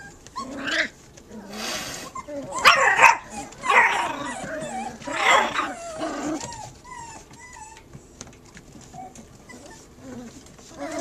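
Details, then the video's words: Puppy barking at a cat, the dog outnumbered three against one; a few sharp barks and yelps with whimpering between, mixed with other animal noises and some background voices. "PUPPY BARKS AT CAT"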